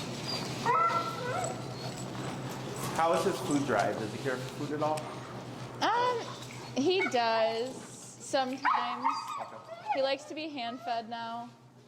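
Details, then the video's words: Finnegan, an extremely vocal feral husky, disagreeing with a behavior during heel training while pressure is taught. Drawn-out, wavering whines and yodel-like howls bend up and down in pitch in the second half, over a person talking throughout. "Extremely Vocal Feral Husky, Disagreeing With A Behavior"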